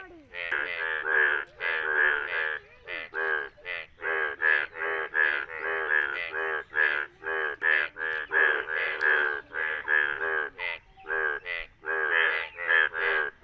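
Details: Chorus of yellow Indian bullfrogs calling in rain in India: dense, harsh, buzzy croaks stacked one after another, short gaps between bursts, several frogs overlapping throughout.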